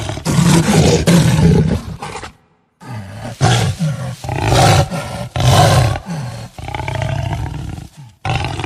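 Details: Jaguar giving deep, rasping growls and roars in several loud bursts, each lasting about a second, separated by short silences, with strong low rumbling throughout.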